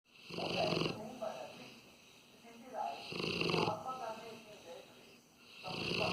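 A Rottweiler snores in deep, rasping breaths that come in bursts about every two and a half seconds.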